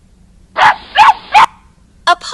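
A puppy gives three quick, high yapping barks, followed by a brief burst of human speech.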